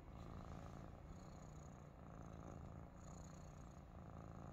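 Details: Maine Coon kittens relaxing together in a basket indoors, with Dexter among the younger kittens Orion, Aurora and Sirius; a steady low rumbling purr runs throughout, even and unbroken, with faint hiss above.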